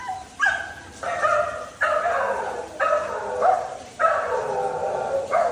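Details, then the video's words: Dhoni, a Labrador Retriever, giving drawn-out, harmonic, whining barks. Each lasts nearly a second and slides slightly in pitch, and about five come in steady succession. "#barking #sound effect of our #dhoni #labrador"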